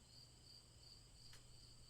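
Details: Crickets give repetitive chirps as soothing night ambience for a fairy tale. High bright pulses repeat evenly, with a low electrical-sounding hum and one quick click.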